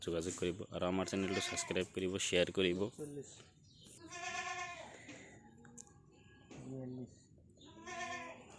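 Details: Beetal goats on a goat farm in Kalgachia, Barpeta, Assam: a man talks for the first three seconds, then several wavering, nasal bleats follow at intervals, some rising and falling, with quieter farm noise between them.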